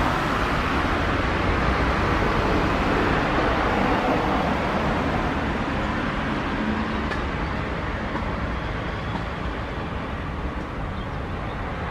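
Steady broadband rumble of passing traffic fills the recording, with no clear animal voice.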